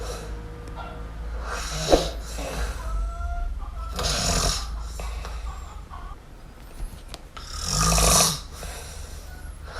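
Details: Sleeping kitten MiuMiu gives soft, irregular snoring breaths, with a louder rasping snore near the end and faint high tonal whines in the background.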